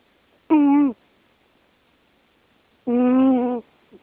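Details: Musashi, an American Shorthair cat, snoring: two loud, droning, nasal tones with rich overtones, the first about half a second long and the second nearly a second, separated by a quiet gap of over two seconds indoors.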